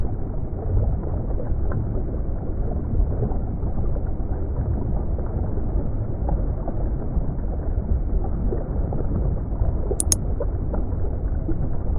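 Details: Steady low rumbling like an engine or water vehicle fills the recording, with two brief high clicks near the end and no animal calls.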